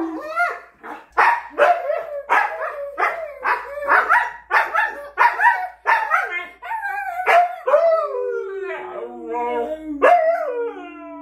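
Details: Siberian husky named Miko, a pet, howling and yodelling at the end of filming after remembering his chicken; a run of rapid rising-and-falling howled bursts, then longer drawn-out wavering howls, loud and close.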